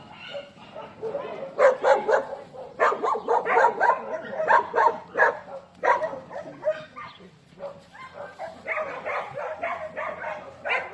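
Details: Excited dogs bark hard and fast, overlapping yaps and barks tumbling out several per second, easing briefly before another clustered volley of sharp barks.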